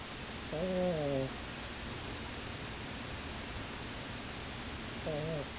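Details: Pug dozing after a tiring play session. Two wavering, whistly snores arrive about four and a half seconds apart, in time with slow breathing, with faint room noise between them.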